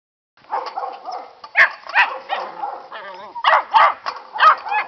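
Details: Catahoula pups, nine and seven weeks old, romping around a farm: a busy run of high, squeaky yips and short growly barks in quick bursts, some rising and wavering, with brief gaps between them.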